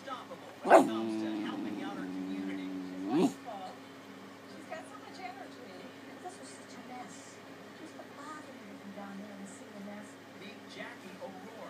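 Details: Pet puppy vocalising to beg for a dinner plate to lick; two drawn-out whining, howl-like yowls about two seconds apart, then quieter soft murmurs and faint speech in a room.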